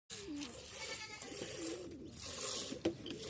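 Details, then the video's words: Kathewadi goat during live milking; wavering, nasal bleats rise and fall over steady background noise, with a sharp knock near the end. "काठेवाडी शेळी ची लाईव्ह मिल्कींग"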